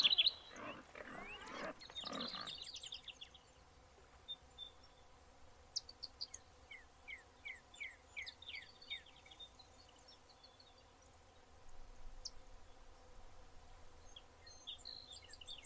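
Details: A Yorkshire Terrier, a hunting dog, gives a quick burst of high, sharp yapping barks, then falls quiet as birds chirp.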